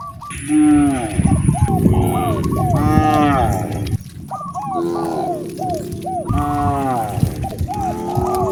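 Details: Cows roaming natural roads in search of fresh grass to eat; drawn-out, deep moos with rich overtones rise and fall, overlapping a repeated chirpy patter of short higher notes and a steady high whine.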